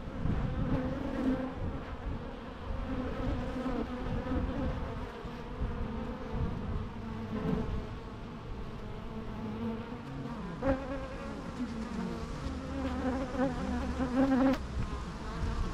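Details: Continuous bee hum over a low rumble, with a wavering droning tone and its overtones. The buzz grows and fades as individual insects pass, with brief louder surges toward the end.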